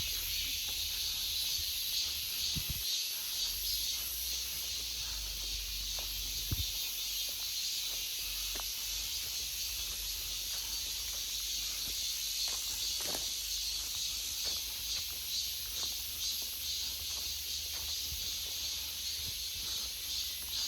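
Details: Cicadas filling an August forest with a steady, dense, high hissing buzz that holds unbroken for the whole stretch, with a few soft thuds and clicks like footsteps and a faint low rumble underneath.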